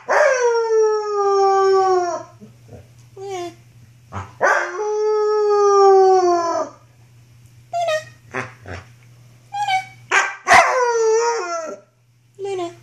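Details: Wolfdog puppy of six to seven months, a female recorded in 2013 during rough play, howls in long sustained harmonic notes, then breaks into shorter yips and whines, with a person calling her and faint music.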